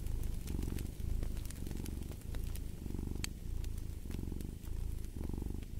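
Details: Close, rumbling cat purr in clear pulses about once a second as the animal breathes in and out, with occasional crisp fire crackles.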